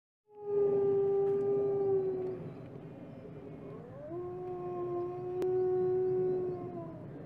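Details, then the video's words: Wolf howling: a long steady mid-pitched tone held for nearly two seconds, then a softer pause and a second howl that rises and levels off, holding a flat note to the end, with faint low background rumble. "Wolf Howling"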